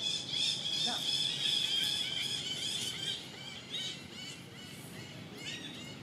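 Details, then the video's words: Baby monkey crying loudly after its mother refuses it milk and gives no comfort: a shrill, sustained high squeal for about three seconds, then broken, wavering squealing cries repeated in quick bursts over faint outdoor background noise. "he very angry mom reject milk him, he crying so loudly but mom don't comfort him."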